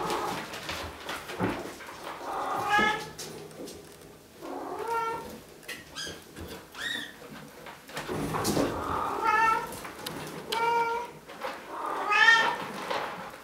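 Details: Bengal kittens from three litters at Wildrose Bengals, two almost 8 weeks old and eleven 5 weeks old, indoors; several high harmonic meows in overlapping bursts, some rising and falling, with faint human speech and room noise between.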